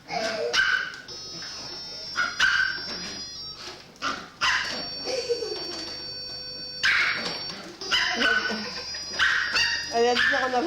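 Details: Puppy riding a robot vacuum indoors: repeated sharp high-pitched yaps and barks in bursts, with a steady whine of the machine and French-speaking voices nearby.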